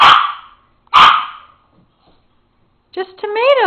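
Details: Rivet, a pet papillon dog, in a jumping barking fit over tomatoes sitting on the counter: two sharp, loud barks about a second apart, followed by a person talking to the dog.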